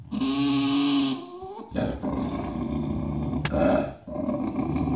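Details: A stubborn Bulldog throws a tantrum for a spot on the bed, whining and growling at other dogs to make room: a sustained high whine for about a second, then rough, grumbling growls with short breaks.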